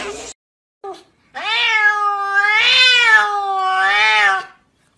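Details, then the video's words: One long, steady domestic cat meow lasting about three seconds, wavering gently in pitch, after two brief clipped sounds. "GATOS MAULLANDO sonidos de gatos maullidos"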